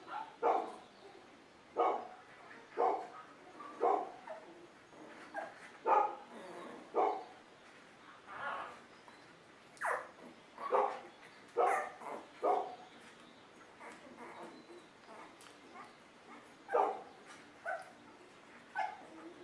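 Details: Golden Retriever puppies from a litter, short yelping whimpers repeated roughly every second, each a brief harmonic burst, some louder than others, with small pauses in between.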